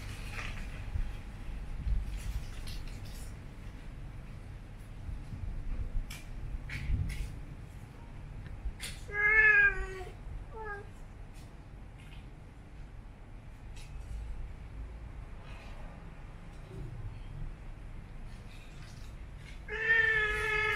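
A Siamese cat gives brief, wavering, singsong growls, tonal and drawn out like a low yowl.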